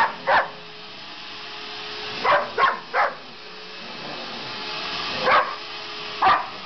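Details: Household dog Sasha, who dislikes the vacuum, lets out loose clusters of abrupt barks, a single one, then a quick triple, then two more, with the vacuum humming throughout.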